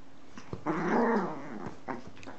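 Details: Pet dog giving a single rough, throaty growl lasting under a second, broad and noisy, with faint knocks before and after in a quiet indoor room.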